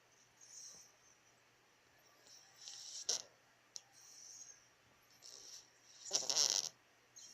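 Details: Deeply asleep, a cat gives soft, airy snores, rasping breaths rising and fading every second or two, the loudest near the end, with a quiet room behind.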